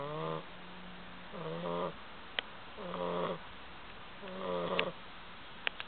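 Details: Bulldog asleep and snoring in a steady rhythm, four rasping, buzzy breaths with a low grinding tone about every one and a half seconds, plus a few sharp clicks between them.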